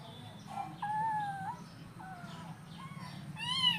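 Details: Several hungry kittens at breakfast call in a string of meows, some long and level, others short and bent, overlapping one another above a faint low hum.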